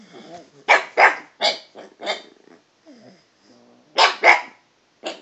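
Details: Toby, a talkative dog vocalising at the cat, lets out clusters of loud barks, often in pairs, with low growly grumbles and a brief whine in the lulls, pitch shifting from bark to bark.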